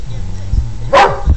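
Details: Pet Border Collie named Jess, trained to count by barking, lets out one loud, short bark after being praised as a good dog, followed by a faint thump and more praise from a person.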